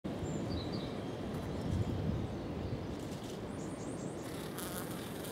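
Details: Honey bees gathered on a jar of honey in Cambridge, UK, on 23 February 2021 make a dense, continuous low buzzing hum. Faint high bird chirps come through in the background.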